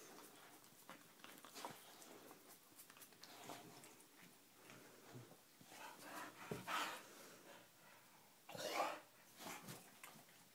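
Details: Indoor pet dog vocalizing in a small room, coaxed to say "I love you" in exchange for a back scratch; scattered snuffly breaths, then two louder drawn-out vocal bursts late on, with a person's voice urging it between sounds.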